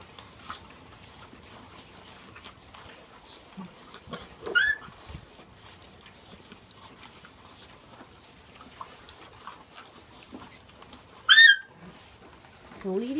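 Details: Thirteen Mastiff pups from Osiris and Isis share an 18 lb Christmas ham, with steady soft chewing and lapping throughout. Two short, high, bending yelps break through near the middle and near the end, and a low rising whine closes the clip.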